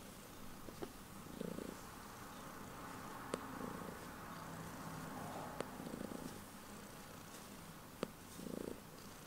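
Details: Heliana, a pet cat, purring loudly just before bedtime: a soft, low, steady rumble that swells into fuller pulses about every two seconds, with a few sharp faint clicks in between.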